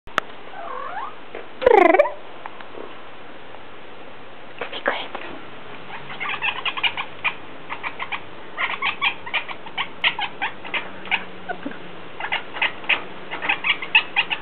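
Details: A pet cat talks to the birds. An early sweeping meow-like cry is followed by long runs of quick, clicking chatter bursts repeated every second or so.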